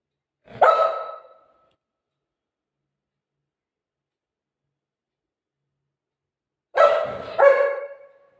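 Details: Golden Retriever at play: one sharp bark, several seconds of silence, then two barks in quick succession, the second ending in a longer, tonal tail.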